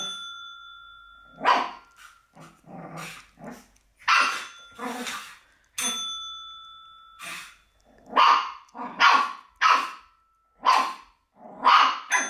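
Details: Black Shih Tzu puppy versus a bell: bright bell rings start the sequence, answered by a steady string of sharp, high barks and softer growls, the barks coming quicker toward the end.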